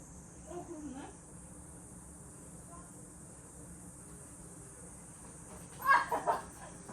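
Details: Cicada singing at a rural country house: a steady, high continuous hiss runs unbroken through the whole recording, with quiet voices and a short louder burst of talking near the end.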